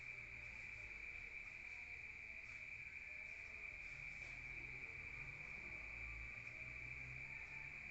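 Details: Rural crickets at night, heard from indoors: an unbroken high-pitched trill at a steady pitch throughout, with low rumbling background noise underneath.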